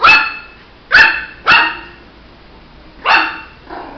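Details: Puppy Shih Tzu yapping: five short high barks, three close together early on, then a gap before two more, the last softer and brief, with a quiet background between.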